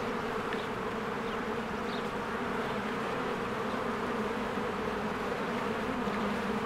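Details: Many honeybees fly in and out of their hive in spring while flowers bloom, a dense, steady buzzing drone with layered hum bands and a few faint higher chirps of birds over the top.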